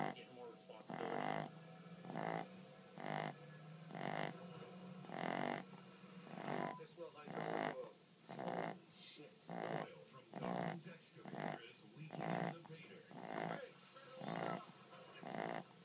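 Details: Boston terrier x English bulldog named Sosa snoring steadily, each harsh, buzzy breath recurring about once per second in a regular rhythm, with a faint continuous low tone in the room.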